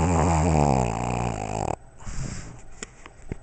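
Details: Sleeping Pug and Boston Terrier snoring indoors: a loud, rattling, buzzy snore for nearly two seconds, then quieter soft breathing and small snuffles.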